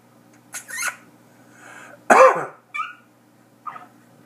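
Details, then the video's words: Prairie dog jump-yip: a few short squeaky yelps, with one loud harsh two-part yip in the middle and fainter brief chirps after it, over a quiet low hum. "Prairie dog jump yip"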